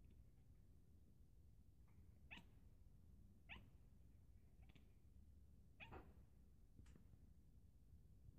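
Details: Pet cat making an unusual sound while looking out the window: five short, sharp chirps spaced roughly a second apart, each a quick bright sweep, set against a steady low indoor hum.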